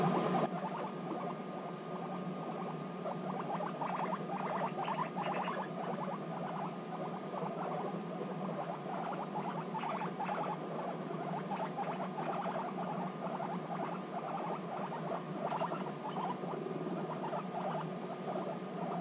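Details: Guinea pigs bonding after a six-month separation, with a sustained buzzy rumble and dense trains of clicking chutters, a few sharper squeaks, softer toward the end.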